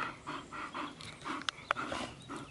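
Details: Rapid, steady panting from a bull terrier, about four airy breaths a second, broken by two sharp clicks midway.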